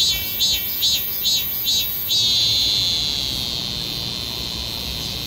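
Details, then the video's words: A cicada's song opens with short rhythmic pulses, about two per second, then settles into a sustained piercing buzz that slowly softens toward the end. "매미는 소리를 어떻게 내나?"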